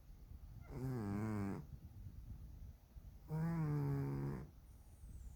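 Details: Chubby house cat Dalae snores in sleep, a sound that keeps the owner from sleeping: two drawn-out, rasping, tonal snores about a second each, separated by two seconds of quiet breathing.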